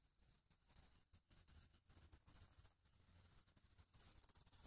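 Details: Faint pine cricket song from a pond in Ehime, Japan, in August: a steady, high, thin trilling tone pulsing rapidly, partly masked by hissy rustling background noise.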